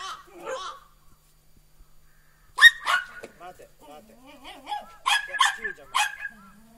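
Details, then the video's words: Three Border Collie puppies aged four and a half months, two female and one male, playing energetically outdoors while snow falls on 12 November 2013; short high-pitched yelps and barks come in bursts after a quiet start, with thin whining tones between. "Border Collie Puppies at 4.5months"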